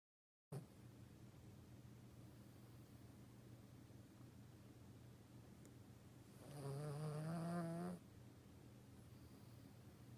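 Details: Toy Poodle named Margaux snoring, a quiet low rumbling breath then a louder, longer snore of about one and a half seconds with a rising nasal tone, followed by soft breathing.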